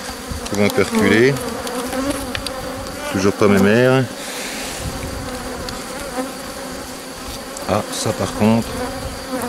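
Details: Honey bees from a drone-laying colony receiving a brood frame from the adjacent hive, May 2021: two short, intense buzzing swoops with rising and falling pitch over a continuous hive hum, a few faint buzzes near the end.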